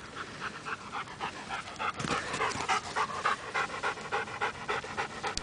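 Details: Mika, a Rhodesian Ridgeback that retrieves, pants hard and steadily, about three to four breathy puffs per second in an even rhythm, with a brief louder rustle partway through.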